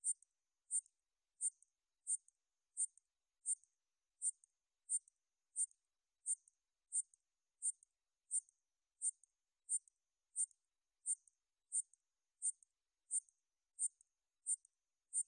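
A katydid gives short, high, buzzy chirps, repeated steadily about every two-thirds of a second.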